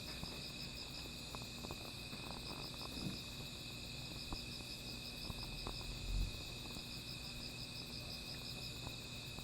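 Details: A night of insect calls around a small fire, high continuous ringing and a pulsed trill running throughout, with fire crackles and a soft low thump near the end.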